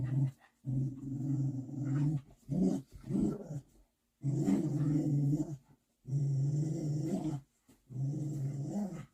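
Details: Big pup growling while submitting to its mother dog: deep, rough rumbles in repeated bouts of one to two seconds, several shorter broken growls between, brief silent gaps.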